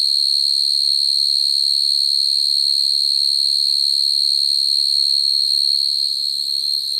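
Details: Nighttime field cricket calling for females, natural song used as a trapping lure: an endless high, shrill trill at constant pitch, finely vibrating, with faint low murmuring beneath and a slight fade near the end.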